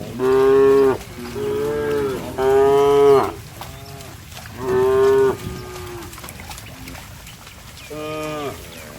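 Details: Mud-splashing cattle moo repeatedly: three loud, flat, buzzy moos in quick succession, a pause, then another strong moo and a softer final one, each under a second long.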